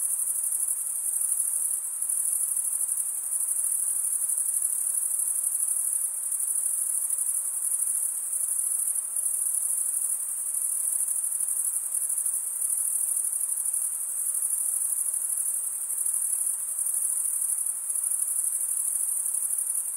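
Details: Male crickets stridulating, rubbing a wing's edge over a toothed vein on the other wing: a dense, continuous high-pitched trill held steady throughout, many insects blending into one shimmering band with no other sounds.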